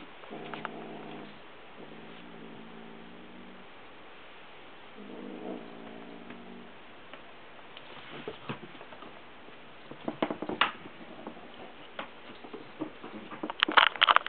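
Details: Domestic cat wandering with a dragonfly teaser toy held in its mouth, growling in a small voice nonstop although nobody reaches for it: three low, buzzing, sustained growl bouts, followed by clicking, tapping and rustling sounds.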